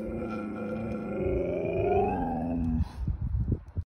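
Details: Siberian Husky whining: a nasal, tonal, drawn-out cry that slides upward and bends back down over about two and a half seconds, then breaks into a few soft, low, huffing grunts.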